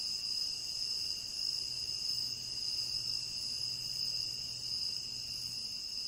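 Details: Tropical rainforest crickets keep up a continuous shrill chorus, several high ringing tones held evenly without any break, over a soft, low background murmur.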